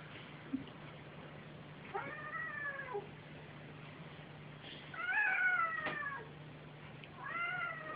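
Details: Two pet cats, a mother and her son, playing indoors; three drawn-out harmonic meows with a falling, arched pitch, around one, five and seven seconds, quiet between, with a steady low hum underneath.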